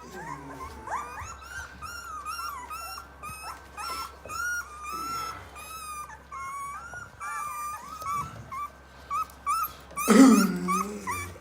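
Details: Several Rottweiler puppies three weeks old whimpering indoors: thin wavering whines and short squeaks overlap throughout, with a louder rustling burst near the end.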